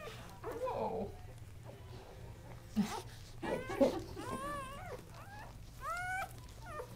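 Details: Newborn Kuvasz puppies, three males of Casablanca breeding born October 30, 2008, indoors; a soft murmur first, then a run of high arched squeals and thin whines bending up and down, over a steady low hum.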